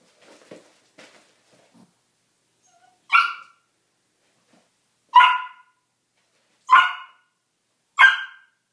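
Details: Brady, a playful five-month-old Australian Cattle Dog/blue heeler pup, plays with his Chihuahua foster sister Lily. Faint soft yips come first, then four loud, sharp barks spaced one to two seconds apart.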